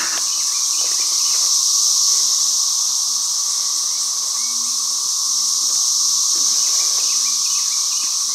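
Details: Cicadas that come out of the ground through small holes fill the air with an intense, even, high whining drone, unbroken for the whole stretch, over a softer humming band and scattered faint ticks.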